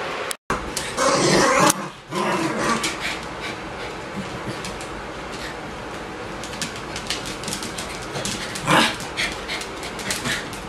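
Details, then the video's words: Bichon Frisé puppies from the O and P litters, at a kennel: brief rough growls and yips in bursts near the start, a sharper cry later, with low background noise and light scuffling between. "Bichon Frisé hvalpe"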